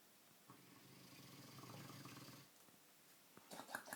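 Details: Sleeping Dogue de Bordeaux snoring: a low, rattling, pulsed breath lasts about two seconds, followed by quiet and then a few sharp clicks and rustles.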